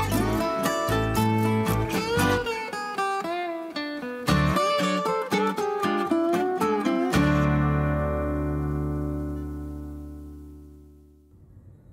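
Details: Plucked and strummed acoustic guitar music rings out, with the final chord fading away and no animal sound heard.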